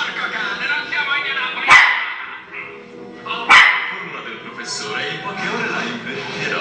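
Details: Chocolate, a pet Shih Tzu, defends its territory against dogs appearing on television: two sharp, loud barks about two seconds apart stand out over continuous Spanish TV dialogue and music.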